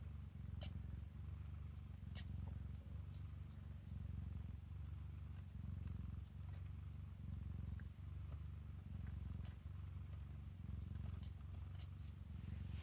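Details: Domestic cat purring while her kittens nurse inside a cabinet; a steady low rumbling purr pulses continuously, with a few faint clicks and rustles above it.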